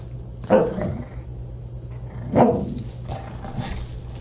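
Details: Siberian Husky at a December 29, 2022 dinner party: two loud, rough barks about two seconds apart, then a softer third, against a steady low indoor hum.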